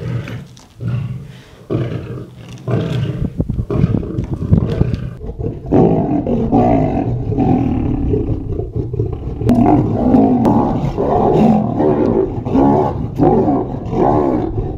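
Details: Wild lions at a feeding, Mount Etjo Safari Lodge, Namibia, fighting for meat, heard from close range; loud continuous snarling and roaring with deep rumbling, rising into sustained harsh growls in the second half.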